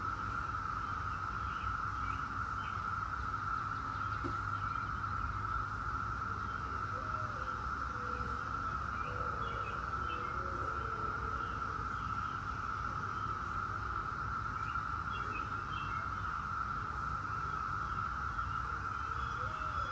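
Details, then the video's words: Brood X periodical cicadas, the 17-year brood, in a dense unbroken chorus: a steady droning whine holding one pitch throughout, with scattered bird chirps and low background rumble beneath. "17-Year Cicada Brood X Sounds"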